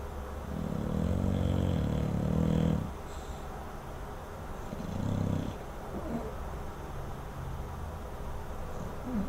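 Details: Sleeping English Bulldog snoring: two long, low rumbling snores, the first lasting over two seconds, then a shorter one, separated by quieter breathing.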